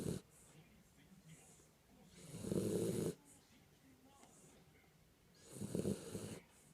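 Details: Kinako, a Jack Russell Terrier, snores while asleep: two loud, rough, low snorts about three seconds apart, each lasting under a second, with quiet breathing between them.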